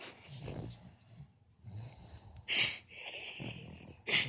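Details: Pet dog snoring while asleep: low, rough, rasping snores roughly every one and a half seconds, overlapped by bursts of a person's loud, breathless laughter.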